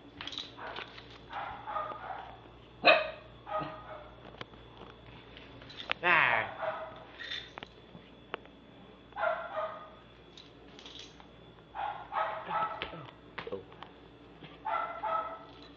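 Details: Pomeranian/Maltese mix dog, three years old and male, lets out scattered high yips and barks between stretches of a person talking, with a faint steady hum in the room.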